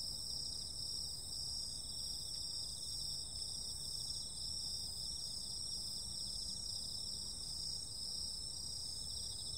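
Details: On a summer night, insects keep up a steady shrill chorus, high continuous trills with a faintly pulsing lower band, over quiet low-pitched background rumble.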